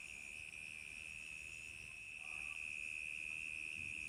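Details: Summer-night crickets keep up an unbroken, high-pitched pulsing trill that grows slightly louder partway through, with a faint short lower chirp near the middle.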